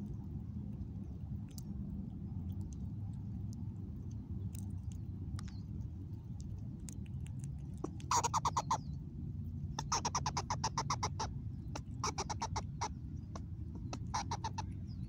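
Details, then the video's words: Mama squirrel in a new spot, 26 August 2021, giving rapid trains of clicky, pulsed calls in bursts during the second half, after a quiet start over a steady low rumble and faint bird chirps. "New Vocal @0:50 (Have you heard b4?) in new spot with Mama Squirrel"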